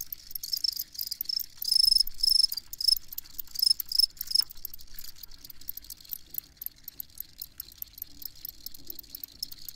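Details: Crickets chirp in quick high-pitched pulse bursts, loudest in the first half, then fade to a thinner continuous buzz beneath crackling clicks.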